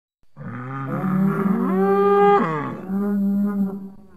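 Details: A bull in nature gives one long, low, droning moo lasting about four seconds, its pitch briefly lifting and wavering near the middle before settling back to a steady hum.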